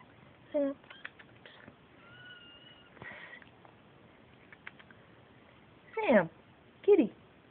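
A Siamese cat gives loud, drawn-out meows that bend in pitch, answering a person calling to it.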